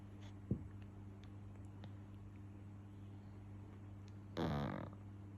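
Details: A sleeping English Bulldog puppy snores and snorts with a low, rumbling drone and a sudden sharp snuffle.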